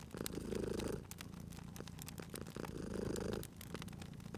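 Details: Cat purring near a crackling fire, two rumbling inhale-exhale swells about two and a half seconds apart, with bright crackle pops scattered across the recording.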